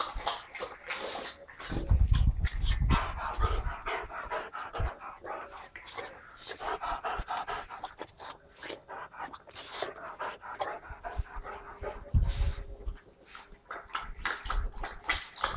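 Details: Five-month-old Boxer puppy Zach pants steadily after frantic play with a glove, a run of rapid rasping breaths with occasional low thuds and a few human voices underneath.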